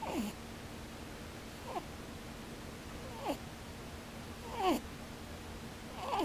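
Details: Sleeping rabbit snoring with its eyes open, the snore heard as 'pu-pu, bu-bu': short squeaky notes sliding downward, repeated roughly every one and a half seconds, five in a row, over a steady low indoor hum.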